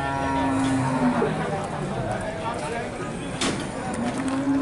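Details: Large Limousin cattle at the Pon livestock market in Nganjuk, East Java, Indonesia: a low, steady moo rises above a busy background of crowd chatter and market noise, then a second drawn-out low call starts near the end.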